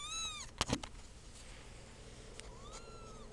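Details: Two-week-old kittens indoors: a high, thin arched mew at the start, a few sharp clicks and knocks, then a softer, longer rising-and-falling mew near the end.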